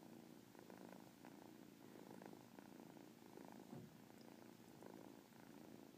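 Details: Pet cat's continuous purr, described as holding a chirp inside it: a soft, even low rumble pulsing with each breath, punctuated by occasional faint short chirps.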